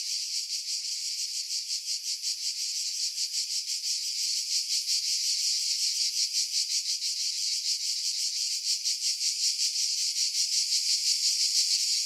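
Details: Cicadas singing in pine trees about 50 m above the sea at Pefkos Bay, Skiros Island, Greece, in July 2018, recorded on a Sony RX3 with external mic: a loud buzzy rasping drone pulsing rapidly and steadily, wind filtered out.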